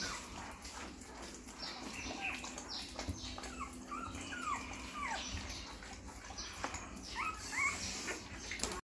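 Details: American Bully dog giving high, squeaky whimpers and whines that rise and fall in short bursts over several seconds, against a steady background hiss and a few soft knocks.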